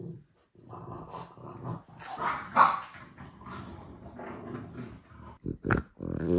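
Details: French bulldog indoors making clear to its owner that it wants to go for a walk: low grumbling, growly vocal noises with a few sharper yelping bursts near the end.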